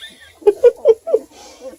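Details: Two-week-old registered purebred Redbone Coonhound puppies from Jorja and Jed's litter, near Kingston, Ontario, Canada: four short squeaky whimpers in quick succession, then a softer, fading whine.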